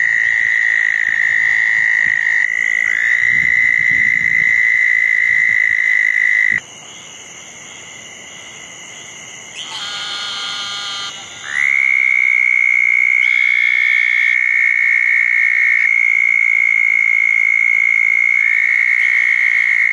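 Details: Southern toads calling at night around a pair of small garden ponds after a thunderstorm, June 10, 2014: a long, steady, high trill held for seconds, breaking off midway with a quieter pause and a brief burst of other chirps before resuming.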